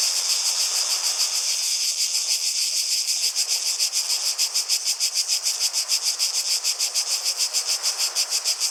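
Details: Shrill cicada buzz in nature, rapid pulses roughly three per second becoming sharper and more separated midway, a steady high drone over a quiet background.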